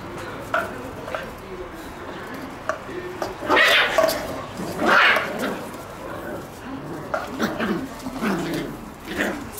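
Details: Male red Shiba Inu puppies born on 11 and 14 February, on the morning they are collected by new owners. Two louder yelping whines come midway, with softer scattered whimpers before and after, and faint human voices in a quiet indoor room.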